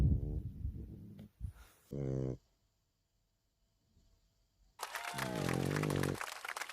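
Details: Jjanga, a nine-month-old female French Bulldog, recorded indoors on 30 August 2019: deep rumbling snores with layered buzzy tones in short bursts, separated by quiet pauses, with a brief hissing rush near the end.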